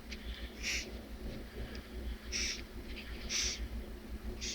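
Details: Madagascar hissing cockroach (Gromphadorhina portentosa), hiss: short, breathy hisses, each a brief airy burst about once a second, apparently after being touched.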